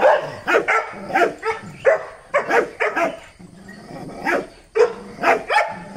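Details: A Dachshund, on a chain while visiting another house that has a German Shepherd and a native dog, barks aggressively in short, sharp bursts, roughly twice a second, with uneven spacing.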